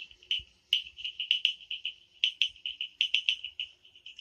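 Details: Frogs in the Amboli hills forest at night, Sindhudurg: a fast series of high, clear, clipped notes with sharp louder clicks scattered through, the rhythm slightly uneven, almost no low sound.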